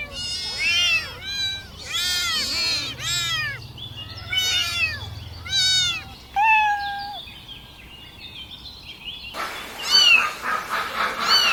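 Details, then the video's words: Several kittens crawling about and crying for their mother's milk: a rapid series of high, arched mews, some long and wavering, then quieter, with a harsher, noisier stretch of calls toward the end. "Kittens asking for mothers milk"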